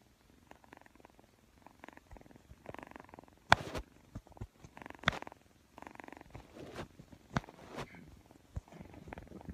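A Persian kitten purrs in soft, rhythmic pulses, broken by a few sharp clicks and taps.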